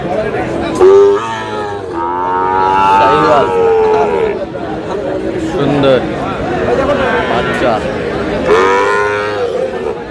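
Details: Sahiwal cattle at Aftabganj market in Dinajpur on 13 June, bull calves being bought and sold; several short and longer moos scattered through the clip, mixed with bargaining voices and market chatter.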